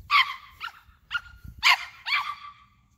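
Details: A male Yorkshire terrier gives five sharp, high-pitched yappy barks in a quick, uneven run, roughly two a second, over faint low rumble, outdoors while seeing his first wild turkey.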